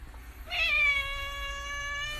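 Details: A pet cat, asked by a person to say please, answers with one long, steady meow lasting nearly two seconds that holds an even pitch throughout, over a low background hum.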